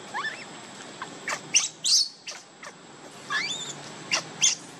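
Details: Baby monkey Leo, missing its mother and begging for milk, cries in high, thin squeals that sweep upward with bright overtones, in bursts near the start, middle and end, separated by short clicks and quiet pauses.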